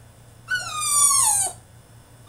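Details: High, sustained whine from a male French Bulldog throwing a tantrum in his cage. It lasts about a second and glides slowly downward in pitch before cutting off.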